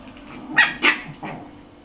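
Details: High, sharp yaps from a six-week-old puppy, one of two, dated 14 January 2013: two loud barks close together, then a softer third yip after a short pause.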